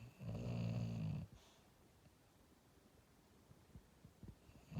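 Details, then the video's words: Dreaming English Bulldog snoring in its sleep; a single low, buzzing snore of about one second, followed by quiet breathing and faint rustles in a small room. "Dreaming English Bulldog: Sleeping Dog: Sleep dog: Snoring Bulldog"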